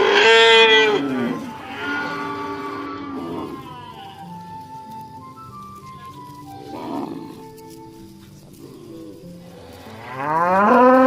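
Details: A herd of dozens of cows walking home to the pen in the afternoon: a loud moo at the start, scattered softer lowing in the middle, and a rising moo at the end, with background music throughout.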